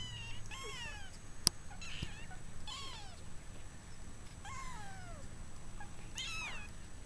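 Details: Sixteen-day-old Maine Coon kittens, starting to move around indoors; several high, downward-sliding mews come in short bursts every second or two over a steady low rumble, with one sharp click.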